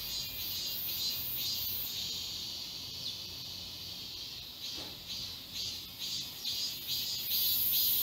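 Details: Summer cicada chorus along a forest walking path in Galsan Park, Seoul: faint, distant high-pitched pulsing in a soft irregular rhythm over a quiet buzzing background, slightly louder toward the end.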